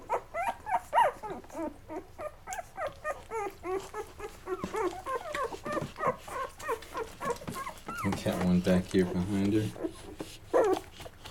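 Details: Mocha's Labrador Retriever puppies at 11 days old, feeding until full before crawling away to sleep; rapid run of short squeaky whimpers, several per second, with a human voice talking over them near the end.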